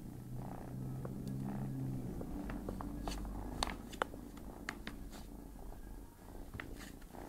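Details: Domestic cat Tigger purring low and steady as a kitten pesters it in its sleep, the rumble overlaid by frequent crisp clicks and rustles of handling.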